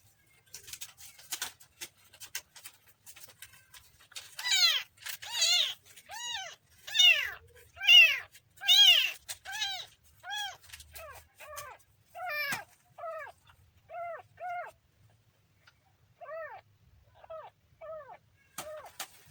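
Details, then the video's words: Kitten cries in a rapid, steady series of short meows, loud and shrill at first, then softer and more spaced out toward the end, with near silence between calls. "kitten funny sound"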